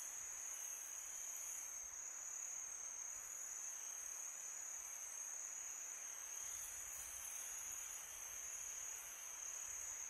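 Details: Crickets chirping at night in summer: a continuous shrill, even-pitched ringing from many insects, holding steady for the whole stretch. Gentle wind noise forms a constant airy background, with faint low rumbles.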